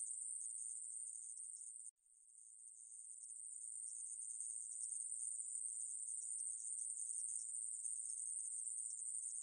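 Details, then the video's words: High, sizzling drone of a conehead katydid, National Institute of Biological Resources, 2020; the buzz drops out briefly near two seconds, then swells back up and carries on steadily. "애매부리, 여러번 듣기, 곤충소리"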